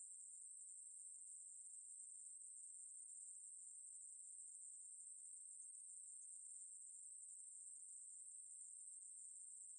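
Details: Ruspolia katydid singing: one unbroken, high, hissing buzz held at a steady pitch and loudness throughout, with no pauses and no other sounds.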